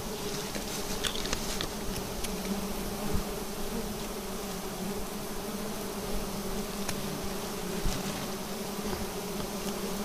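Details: Bee colony in a nest hanging on an upright tree trunk, disturbed during a honey harvest; a dense, steady droning hum with a strong low tone and an overtone above it, plus scattered faint clicks and rustles throughout.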